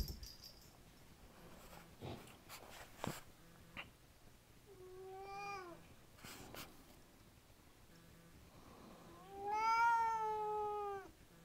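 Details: Indoors, a Siamese cat complains about a messy table with two plaintive, wailing calls: a shorter falling one, then a longer, louder, sustained one, with clattering and handling noises earlier.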